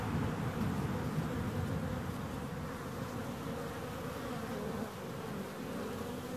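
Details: Bees buzzing in a steady, dense drone with a low hum around its fundamental and a fainter overtone band above, under a heavy low-frequency rumble that stays constant throughout.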